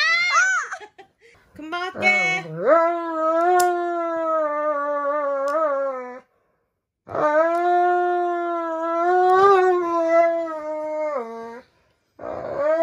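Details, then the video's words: Roman the Dobermann howls dramatically while having its nails clipped, indoors; long sustained tonal howls of several seconds each, slightly wavering, separated by a pause, with yelping at the start and human voices faintly. "시바견보다 엄살심한 도베르만 발톱깎기(고막주의)"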